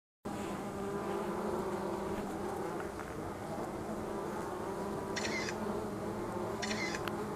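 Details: Angelita stingless bees (Tetragonisca angustula) producing a steady, dense droning hum with a low layered tone throughout, and two brief high chirps breaking through near the end.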